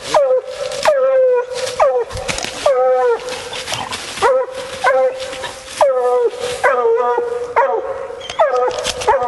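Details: Female Bluetick Coonhound baying during a coon hunt: rapid series of drawn-out howling bawls, each starting with a rising yelp then holding steady, repeated about every second without pause.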